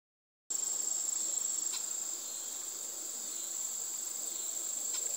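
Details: Cicadas in a backyard in Harmony, Indiana, USA, give a mating call while white-tailed deer feed. The call is a steady, very high, unbroken shrill drone that starts abruptly after a brief silence. Faint clicks appear occasionally.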